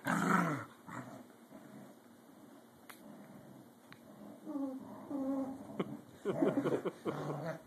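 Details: Two corgis at play, competing for dominance: a loud growl opens, then quieter rumbling, a short run of whiny, tonal yips around the middle and a rough snarling burst at the close.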